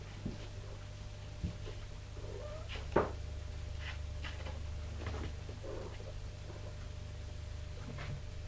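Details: Tipsu, a mother cat, calling and commanding her kittens while training them to climb stairs indoors; one short rising meow-like chirp stands out near the middle, with a few fainter chirps, soft knocks and steady room hum around it.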